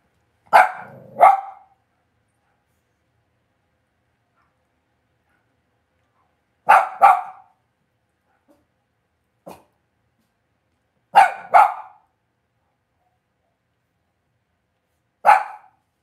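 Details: Cavalier King Charles Spaniel puppies raised indoors in a home puppy pen give sharp, bright barks, often in quick pairs, with long quiet gaps between bursts spread across sixteen seconds.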